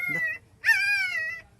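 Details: Hungry street-dog puppy crying for its absent mother, wanting milk: a short falling whine followed by a longer, louder whine that rises sharply then slides gently downward, rich in harmonics, with a man calling in the background.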